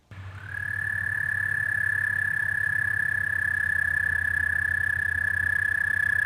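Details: In spring, an American toad gives its characteristic impressively long, steady, high musical trill that holds one pitch without a break.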